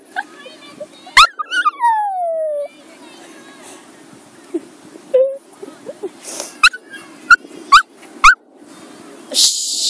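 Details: Bailey, a pet Maltese showing separation anxiety, gives a wavering, falling howl near two seconds, then short rising whimpers and yelps between six and nine seconds, with a faint low hum underneath.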